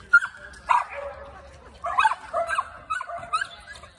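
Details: English Springer Spaniel going after a squirrel, also a tree climber; a series of excited, high whining yips with tonal, wavering notes, bursts repeating every half second or so with brief pauses between.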